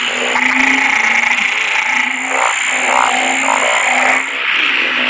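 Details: Narrow-mouthed frogs, named locally as อึ่งเผ่า and อึ่งยาง, calling in Thailand with many people around: low, droning croaks of about half a second repeat steadily over a dense hissing chorus, with a thin high whine above.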